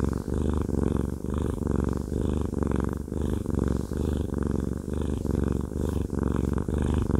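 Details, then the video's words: Haku, a fluffy male cat, purring while having a massage: a deep, continuous rumbling purr that swells and breaks with each breath, roughly once a second, close and steady with no other sounds. "Haku Fluffy Cat has a Massage/ ASMR"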